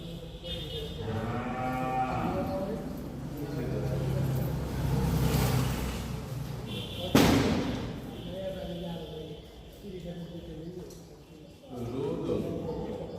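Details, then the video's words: Cow kept for Eid gives drawn-out harmonic moos, one near the start, one mid-recording and one at the end, with a loud thump partway through and background noise in between. "EID COW"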